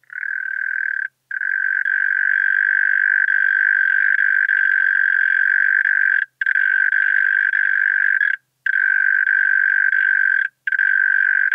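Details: Continuous churring song of a European mole cricket, Pabing, Austria, 31 May 2021, noise removed, captured with a Pettersson D 100 ultrasound detector; a long even purr broken by four short pauses, then resuming at the same pitch.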